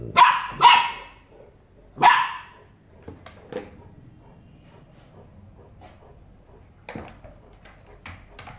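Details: Golden Retriever puppy arguing with its father, Bangalore: three sharp, fast barks open the recording, then the room falls quieter with faint clicks and a few soft yips.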